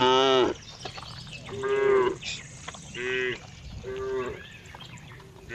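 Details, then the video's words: A cow gives four short, nasal moos about a second apart, each a steady tonal call with strong harmonics, over low background rumble. "cow funny sound"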